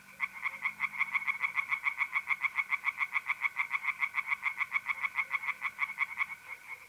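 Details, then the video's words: Pond tree frogs at night in mid-April, north-east Italy, give a fast run of loud raspy croaks, roughly three or four per second and evenly paced, while mole crickets trill continuously behind them. "relaxing singing tree frogs in pond and trilling mole crickets by night"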